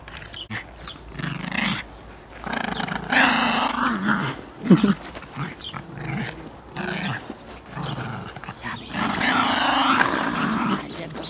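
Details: Miniature Pinschers at Steinwitz, enjoying themselves, growl in rough, rumbling bursts of uneven length, several swelling into louder, strained harmonic stretches before short pauses, with the longest burst near the end.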